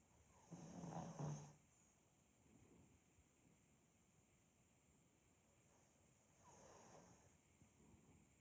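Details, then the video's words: Pug named Demid asleep, snoring softly: a low rasping inhale around one second, a quiet gap, then a second rougher snore near seven seconds, with faint breathy rustle in between. "Просто АСМР храп мопса"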